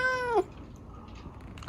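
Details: Pet cat Chico, a rescued kitten lame from an accident, indoors at bedtime while being scratched by dad; a single clear harmonic meow, steady then dropping at the end, followed by quiet room noise.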